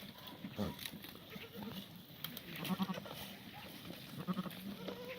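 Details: Black goats of a Korean breed at a farm in Gimhae, Korea, on a clear, cold Sunday morning, 24 March 2019. Short, low, vibrating bleats come at intervals over steady farmyard background noise.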